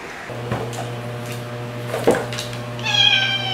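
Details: Domestic white cat Margaret, rescued after living outdoors, lets out a single drawn-out meow at the end, preceded by clattering knocks and a constant low hum indoors.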